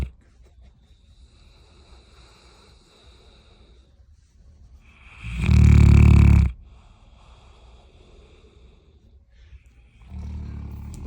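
A bloodhound snores with a deep, rumbling, rattling breath, quiet between long snorts.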